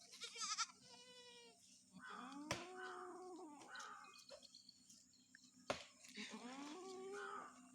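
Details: Goat on a farm, brought out into sunlight on a winter morning, bleating twice: wavering, nasal calls roughly a second long, several seconds apart, with a brief high-pitched sound and sharp knocks in between.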